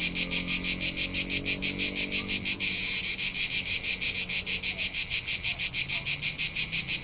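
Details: Cricket recorded in summer on a road trip through the rolling hillsides of Tuscany, central Italy: high-pitched pulsed chirps, about three per second, steady and regular, briefly merging into an unbroken trill midway, with a faint low rumble beneath.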